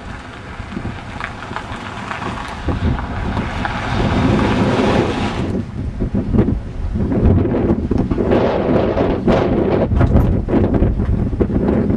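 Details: Heavy wind buffeting the microphone with rushing, surf-like noise throughout and no animal voice.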